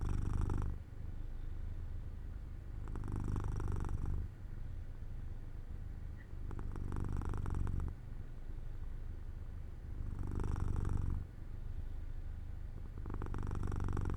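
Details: As Jojo the cat falls asleep in sunlight by an open window, a steady low purr rolls on, rising into five louder breathy pulses spaced about three seconds apart, with softer rumbling between them.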